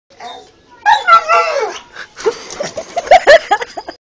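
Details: Husky cross Staffordshire Bull Terrier searching for cats gives a drawn-out, wavering talking howl, then a string of short yips and grumbles, with human voices mixed in.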